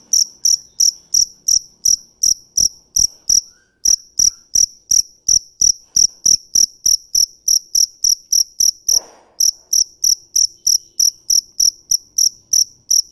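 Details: A dế mèn cricket repeats short, sharp, high chirps about three times a second, broken by two short pauses, with a faint rustle in the background.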